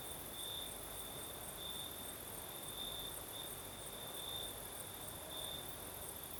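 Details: Singing crickets on a southern Crimean night with a light breeze: a sustained high trill brightening in pulses close to once per second, joined by a thin higher insect buzz and a low rushing wind bed.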